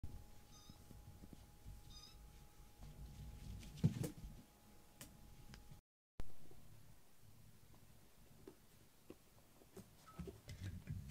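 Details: Foster rescue kittens crowd onto their carer's lap, pushing the smallest kitten, Piyo, to the edge. A low, steady purring rumble runs throughout, with two short, faint meows near the start, a steady electrical hum and a brief dropout midway.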